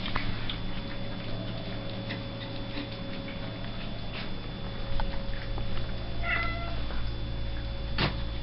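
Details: Pet house cat giving one short, tonal meow about two-thirds through, over a steady electrical hum and low indoor rumble, with faint clicks scattered throughout.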